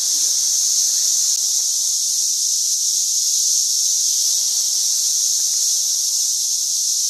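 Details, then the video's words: St. Louis cicada swarm, 2011, tons of insects getting worse each day: steady, piercing, hissing drone held constant throughout, no pauses or rhythm, only the massed chorus. "Cicada Swarms - St.louis 2011"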